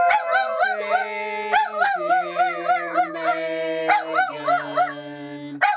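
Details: Skeeter, a pet Miniature Dachshund, howls along as people sing Happy Birthday. Wavering, vibrato-like howls rise and fall over steady human singing voices, in repeated bursts.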